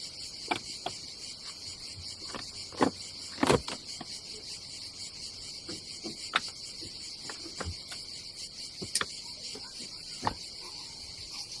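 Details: Cicadas on a summer day at a campsite above the Adriatic Sea in Croatia: a steady, high, shrill buzzing drone runs throughout, broken by sharp clicks and knocks from camping gear being handled.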